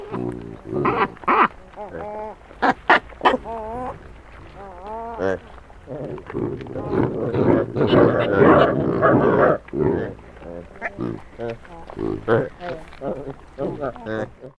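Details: Loud squabbling from a mob of wild Hamadryas baboons feeding on a stolen sack of grain in northern Ethiopia, 2019: eerily human wavering, harmonic calls, some short and barking, overlapping in dense irregular bursts, captured close up with a Sony PCM D100.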